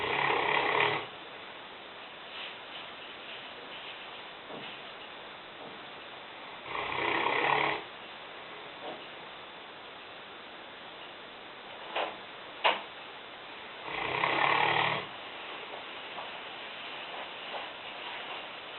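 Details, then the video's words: Sleeping in the kitchen, Lena, a 150-pound, five-year-old Newfoundland bitch, gives three harsh rattling snores roughly every seven seconds. Soft room hum and a couple of brief clicks fill the pauses. "Lena (Neufundländerin) schnarchend - Lena snoring"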